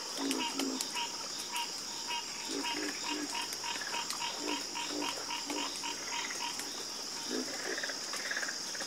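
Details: Harmonious frog chorus: rapid, evenly spaced croaking pulses repeat several times a second, with deeper croaks breaking in now and then, all over a continuous high-pitched insect-like whine.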